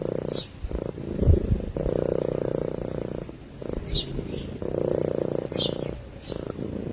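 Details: Low, throbbing purr from a cat asleep, recorded close by a microphone, rising and pausing in regular breath cycles of about one and a half seconds, with occasional faint high chirps behind it.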